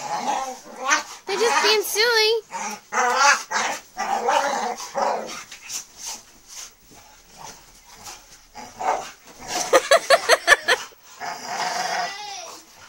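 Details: Pit Bulls, about 150 lbs of dogs together, wrestling playfully with a person on a bed; wavering, whiny vocal sounds and short bark-like bursts come amid frequent human talking and rustling.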